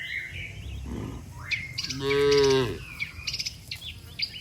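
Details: Cattle among dozens lined up along a road, mooing as if calling the herd to return home to the shed; one loud, harmonic, slightly wavering moo under a second long, with birds chirping around it.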